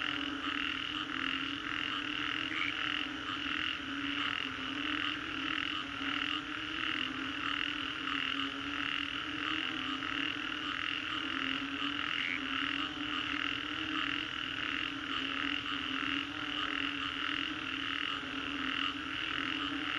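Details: Frog chorus following a storm in the Green Corridor, Singapore: loud, continuous overlapping croaks beating in fast regular pulses, layered over a low steady hum.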